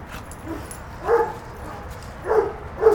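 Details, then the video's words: Puppies Moe and Bambi wrestling in play, giving three short mid-pitched barks or yips spaced about a second apart, with a faint steady background rumble. "puppies at play"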